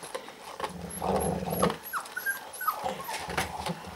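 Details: A dog eating and growling angrily, with low, rough rumbles and short whiny, sliding tones breaking in. The sounds come in uneven bursts over small background clicks and rustles.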